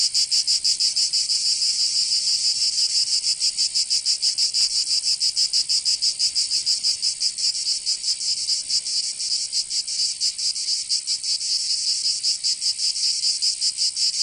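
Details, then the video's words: Provençal cicadas in summer, southern France: an intense, unbroken high buzz over fourteen seconds, throbbing in quick uneven pulses, with the rhythm loosening slightly midway. "Canto Cigarra"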